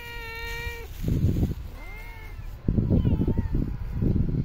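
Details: Street cats being fed outdoors; a loud, sustained flat meow opens, followed by a short bending meow and fainter mewing, interleaved with rustling, chewing-like bursts and low urban hum.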